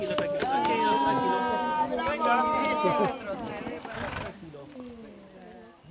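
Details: Horse being broken in by a Chilean huaso: a loud, drawn-out whinny with a harmonic-rich, wavering tone lasting about three seconds, then quieter rustling and distant voices of people.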